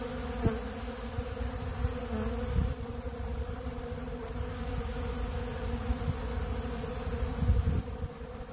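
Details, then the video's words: Honey bees crowding a blue pollen feeder to feed on pollen, a thick low humming drone with rumbling, fluttering wingbeats and occasional louder passes of single bees close by. "Therapeutic Treatment Sounds Of The Honeybees"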